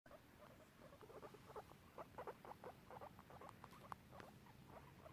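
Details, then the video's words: Two pet guinea pigs exploring a garden together, giving quiet, short squeaky notes that start after about a second and then come in dense, irregular clusters, with low background rumble. "Squeaky guinea pigs making noises"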